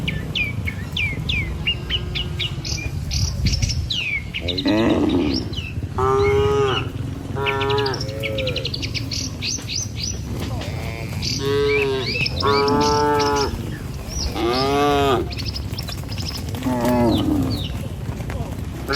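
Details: Tame cattle herded in the morning over a bridge and down toward the village pastures, a string of moos from several animals in the middle and latter half, while birds chirp busily, especially at the start.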